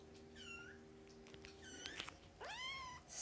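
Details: Fostered kittens of the Humane Society of North Texas, a litter with their mother during nursing and play: two short, high mews spaced about two seconds apart, the second sweeping sharply upward, with scattered clicks and rustles between.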